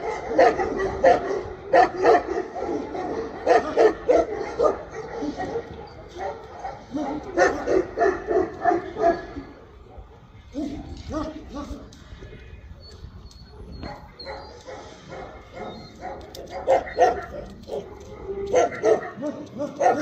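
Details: Tibetan Mastiff letting out fast, repeated barks in uneven volleys, pausing briefly midway before resuming with a further string of sharp barks.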